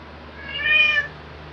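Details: A single thin, high-pitched meow lasting under a second, from housecats Luna (black) and Angel (tabby), filmed 2018–2021, swelling and fading against a faint low hum.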